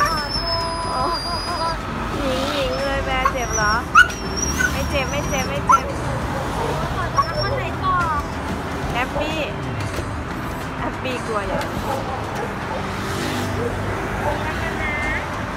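A Siberian Husky cries with high, wavering whimpers and yips, distressed during a vaccination.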